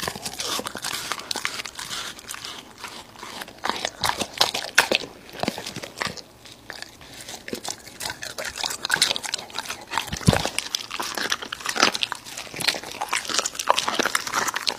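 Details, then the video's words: An American Bully chews raw meat in steady, crackling bites, with sharp crunching transients throughout and a brief pause near ten seconds. "Dog eating Raw Meats!Omnibus 【American Bully】"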